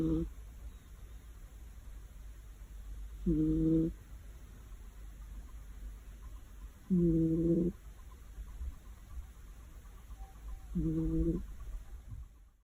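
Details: Female cat that fell asleep on a warm afternoon, snoring loudly: low, rough, harmonic snores, each under a second long, repeating about every three and a half seconds over a steady faint hiss.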